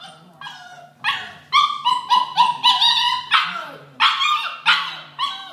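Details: During training, a Vizsla barks rapidly and excitedly in a quick, uneven burst of loud, yelping barks.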